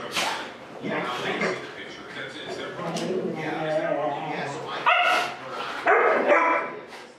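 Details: Huskies home alone in their owners' former place, one only a year old, vocalizing in a busy mix of harsh barks, drawn-out yowls and high yips, voices overlapping with no pauses.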